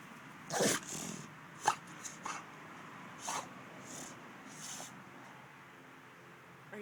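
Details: Lola, a pet dog, in a sneezing fit after catching a skink: about five sharp, explosive sneezes spread over several seconds, with quiet indoor background between them.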